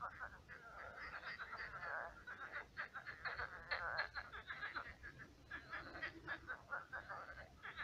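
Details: Night chorus of many frogs in a pond that has become a swamp; dense, overlapping rattling croaks and chuckling pulse trains run almost without pause throughout.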